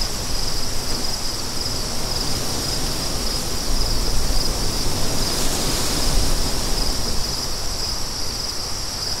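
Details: Continuous high trilling of many crickets forms a thin bright band over a thick bed of rushing wind. The wind surges midway through, in a soundscape made for deep sleep.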